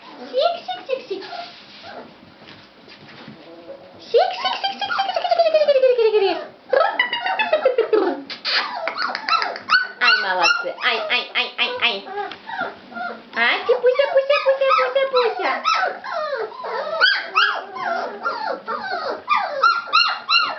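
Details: Several fawn Labrador Retriever puppies in a litter: long drawn-out descending whines mixed with quick yips and squeals, a busy overlapping chorus with a few barks and some background talk.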